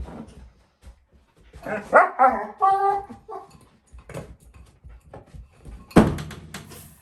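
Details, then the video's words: Female German Shepherd puppy, four months old, playing with her bowl: a few rough barks, then a run of tonal, wavering yelps and whines, and a loud clatter near the end. "German shepherd puppy"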